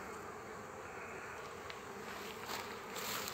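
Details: Honey bees gathered on a frame with a queen while forming a colony; continuous buzzing hum with a few light taps and a louder surge near the end.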